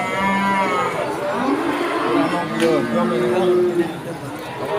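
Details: Cattle at Pasar Sapi Pon, a cattle market in Ambarawa, Indonesia, during Ramadan 2024: a drawn-out harmonic moo rises early, then other lowing voices overlap amid busy market chatter and background noise.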